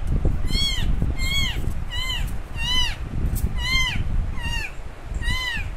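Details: Baby kitten left alone by its mother cat, meowing loudly while searching for her: about eight sharp, arching meows, each rising then falling, spaced under a second apart, with low background rumble.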